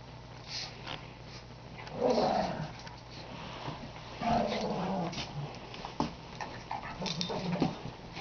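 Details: Shih Tzu growling while attacking another dog. Two loud, rough, snarling growl bursts sound at about two and four seconds, followed by shorter grumbling growls and yaps.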